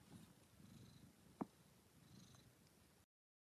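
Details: Domestic cat purring: a soft, low, steady pulsing rumble throughout, broken by one short sharp click partway through, then the sound cuts off.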